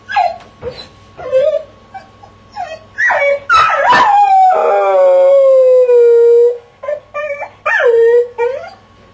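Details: Dog in a crate mixes rapid short yips and whimpers with one long descending howl held for about two seconds, followed by more clipped, rising yelps.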